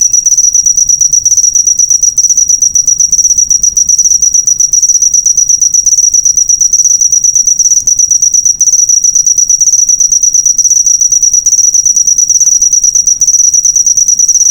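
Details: Cricket chirping as a master recording for training cage birds: a steady, high, shrill stream of rapid pulses at one pitch, unbroken throughout, with no other sounds.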